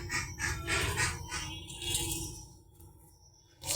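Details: Only scraping, rustling bursts over a low background hum, with no animal voice.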